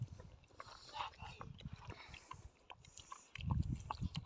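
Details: Male Sivas Kangal pup, newly acquired as a future flock guardian, jealous of its food around a female pup and a chicken and angry even at its owner while eating; low rumbling growl bursts swell near the end over faint clicks and rustling.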